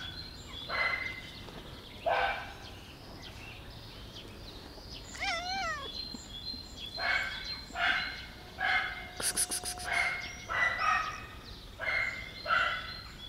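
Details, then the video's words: Black cat giving a run of short, bright meows, at first spaced a second or more apart, then coming faster toward the end, over outdoor ambience with a small bird's quick chirp and a brief clatter. "Black cat meow"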